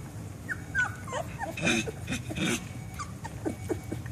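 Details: Three-week-old Chocolate Labrador Retriever puppies, litter born September 10, 2014, settling after feeding from their mother; short high whines and squeaks rise and fall between soft low grunts, with a steady low hum beneath.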